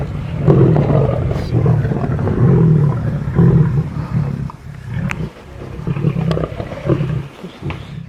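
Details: A large pride of lions feeding, heard from a distance through trees, growls deeply in rough, rumbling bursts, with snarls rising over a low, steady grumble.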